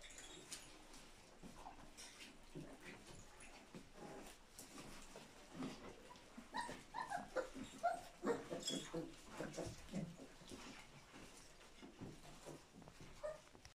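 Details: English Springer Spaniel; whimpering call; greeting its owner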